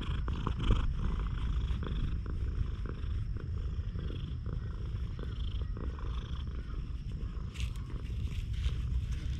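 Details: One-eyed stray cat, remarkably friendly toward people, filmed with a GoPro HERO8. Continuous deep purring fills the whole stretch, with faint rubbing and a brief scrape near the end.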